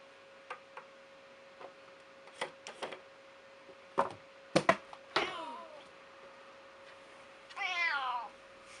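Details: Female pet cat, known to complain loudly when upset, being scolded: scattered knocks and thumps, a short falling cry midway, then one clear, wavering meow near the end over a steady hum.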